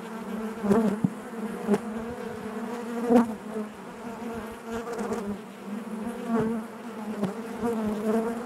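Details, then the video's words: Honey bees in the hive give a steady droning hum, layered and resonant, with sudden brief surges from nearby bees roughly every second or two. "bees therapy hive natural buzzing sound"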